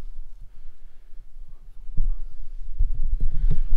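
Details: Low, throbbing rumble with scattered thumps that grows louder toward the end, with no animal call present.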